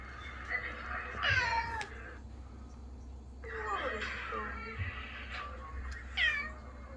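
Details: Ginger pet cats indoors in New Zealand hear played-back sad meows from their housemate's vet trip: a few short, descending meows over a noisy, hissy background, with faint voices.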